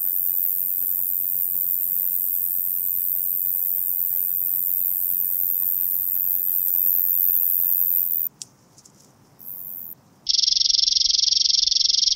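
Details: French meadow bush-cricket singing near Genesterio, Switzerland, on 5 August 2023: a continuous high, hissing buzz held steadily for about eight seconds, briefly broken, then returning as a lower, denser rasping band toward the end.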